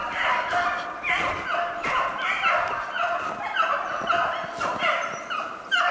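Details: Snowshoe hare hunt with Beagles, February 25, 2016. The pack gives a steady chorus of many overlapping bays, each voice swooping down in pitch, layered densely and without pause.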